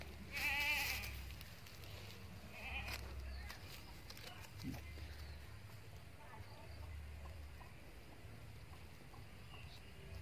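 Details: Newly acquired Boer-cross goat from a farmer: a short, shaky bleat opens the stretch, followed by a fainter second bleat, then mostly low background rumble with a man's voice nearby.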